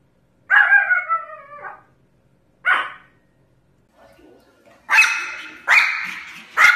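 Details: Pomeranian dog from a barking and howling compilation: a drawn-out, wavering, whiny howl of about a second, then a short yelp, then a run of three sharp, high, harsh barks in close succession.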